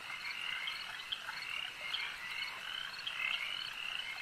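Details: Overlapping frog croaks at a lake form a thick, rattling high-pitched chorus, with a few louder pulsing calls rising above the background throughout.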